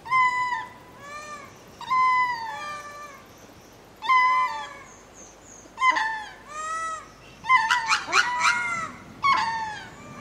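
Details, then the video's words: Spacing calls of ring-tailed lemurs heading to roost in Berenty Reserve, Madagascar: plaintive, drawn-out meows in bursts roughly every two seconds, some voices overlapping, with a cluster of harsher, broken cries around eight seconds. "Ring Tailed Lemur / Spacing Calls On Going To Roost"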